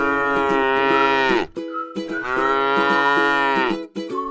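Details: Tame cow feeding on grass in a rice field lows twice in drawn-out, level, buzzy moos of roughly one and a half seconds each, with faint plucked-string music running in the background.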